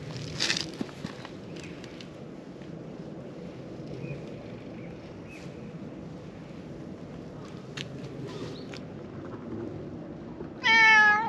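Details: Black stray cat at a lakeside park, climbed onto a fence asking to be petted; quiet outdoor ambience and footsteps give way to one loud, drawn-out meow at the very end.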